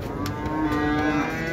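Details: Cattle at the Şarkışla livestock market on a crowded market day, with cows, calves and young bulls for sale; a steady low moo with a flat harmonic tone lasting about a second, over market crowd murmur and a brief knock.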